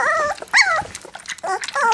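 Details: Black English Labrador Retriever puppies, three weeks old, whimpering while getting their first taste of goat's milk: high, whiny calls that bend downward, in short bursts separated by brief pauses.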